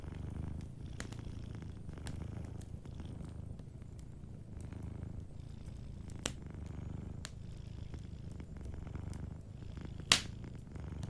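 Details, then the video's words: Sleeping domestic cat purring softly beside a crackling fireplace; steady low rumbling purr in rhythmic pulses, with sharp wood pops and crackles scattered through, one loud snap near the end. "Warm Fireplace Ambience with a Sleeping Cat 🐱💤Fireplace & Soft Purring"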